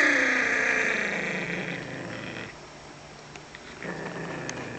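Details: Small dog growling while guarding a bone: a harsh, raspy snarl is loudest at the start, then fades over about three seconds into a quieter rough rumble, swelling slightly again near the end.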